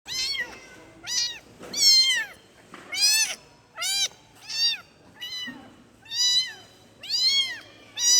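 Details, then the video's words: Kitten calling its mother: a run of about nine high, arched meows in eight seconds, each bending up and then down, loud and clear over a quiet background. "EFEK SUARA ANAK KUCING MENGEONG MEMANGGIL INDUKNYA"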